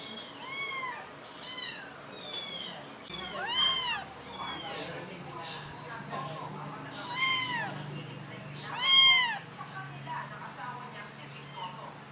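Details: Young kittens giving a busy run of thin, high arched mews, several overlapping, some rising then falling, bunched in quick bursts with brief pauses, over faint room noise and a low background hum.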